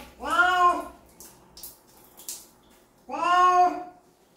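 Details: Bathing cat gives two clear, plaintive meows about three seconds apart, each steady and drawn out, with water splashes and handling noise in the gap.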